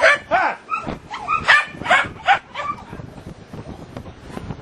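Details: Playing puppies yip and bark in quick, uneven bursts, some notes bending downward, with playful scuffling noises behind.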